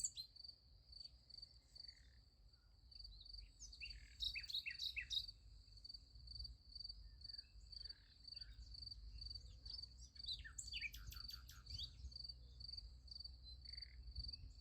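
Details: Night crickets by a sunflower field keep up a rapid, even high trill while birds add bursts of quick chirps and brief twittering phrases, over faint low rumble.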